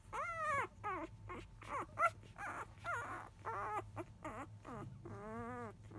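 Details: Five-day-old field-type Labrador Retriever puppies, left alone while their mother goes off to eat shortly after 1 pm, give a rapid series of high, wavering whimpers and squeals with rising and falling harmonics, some long and quavering, over a steady low hum.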